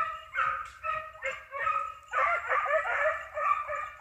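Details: Pack of hare hounds baying while hunting, starting with separate ringing barks and building into a thick overlapping chorus of yelping voices, about two calls per second.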